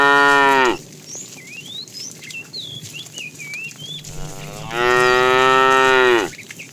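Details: A fat cow in a tame herd, herded in the afternoon, calls the female with two loud, rich moos about four seconds apart, the second longer and dropping at its end. Birds twitter between the calls.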